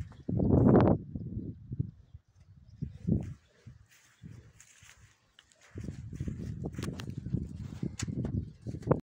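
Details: Stallion brought to a mare. One loud, harsh, throaty burst opens the recording, followed by quieter low grunts and snorts, a near-silent gap, then a long stretch of low rumbling and shuffling.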